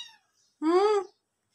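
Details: Hungry domestic cat heading toward the kitchen with kittens, giving one clear rising-then-falling meow lasting about half a second, harmonic and tonal, in a quiet indoor setting with brief speech before.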